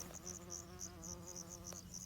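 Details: Greenhouse-bred bumblebee visiting an apiary: a steady low droning hum held throughout, with a series of short high chirps repeating above it and faint background hiss.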